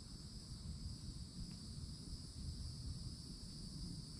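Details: Florida summer cicadas at the edge of a forest, old oak overhead, droning in an unbroken, shrill two-layered buzz over a deep, steady low rumble; no other calls stand out.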